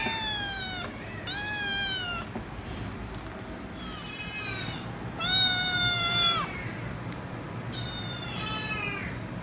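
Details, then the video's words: Noisy kitten demanding head rubs gives four long, loud meows with flat to falling pitch and rich harmonics, separated by quieter pauses with faint background hum. "Noisy Kitten Meowing So Loud & Won't Stop Screaming Until I Give Head Rubs"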